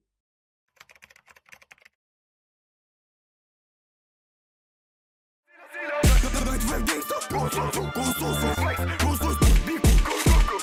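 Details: A brief tapping burst, then silence, then loud bass-heavy music with rhythmic beats.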